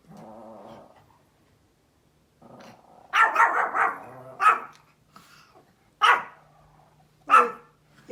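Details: A small Pomeranian outdoors gives sharp, high barks in short bursts at deer outside, while a person nearby asks what it sees.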